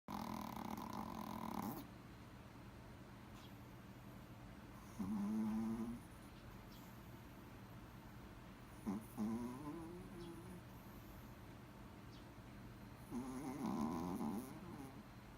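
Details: A Toy Poodle snoring: soft nasal snorts and wheezy breaths come every few seconds, some rising into a whistling squeak, between quiet pauses in an indoor setting.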